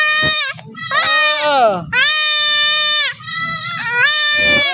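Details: Goat crying out during castration, long harsh quavering bleats almost continuous, one sliding downward, with men's voices underneath.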